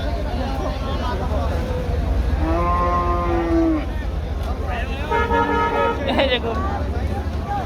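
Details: Cattle at the Nawabi cattle market in Millennium City, Keraniganj, during last-minute trading before Qurbani Eid: two drawn-out harmonic lowing calls, the second wavering, over a constant loud crowd and market din.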